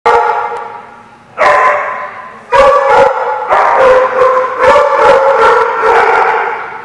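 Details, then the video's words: Dogs at a boarding or play lot, recorded in June: loud overlapping barks in rapid bursts, several dogs calling at once with harsh, ringing tones and almost no pause between volleys. "The Barking Lot"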